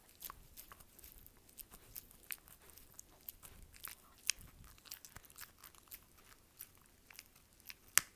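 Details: Close-miked dog chewing for ASMR: crisp, bright crunching and tearing sounds in uneven bursts, with one loud sharp crack near the end and little low rumble.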